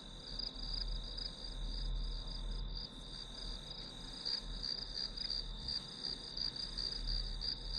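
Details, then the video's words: Grass insects chirping as a study background sound: a continuous high, shimmering trill held steady throughout, with a faint low rumble beneath. "풀벌레 소리"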